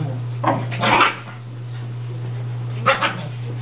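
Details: Small dogs at a daycare, a Basset/dachshund mix, a pug and a shih tzu, playing chase and puppy play; two quick barks, then a pause and another short bark, over a steady electrical hum.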